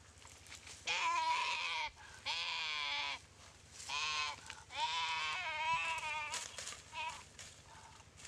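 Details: Goat paralysed after a Komodo dragon bite, in a dry river at Komodo Village, cries in a run of harsh, strained bleats, several overlapping or back to back, rough and wavering, with sharp clicks between.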